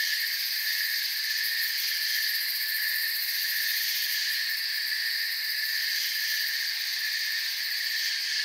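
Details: A forest cricket chorus with soft chirping that merges into an unbroken, high, shimmering hum, the layered trills barely swelling and fading across the whole stretch.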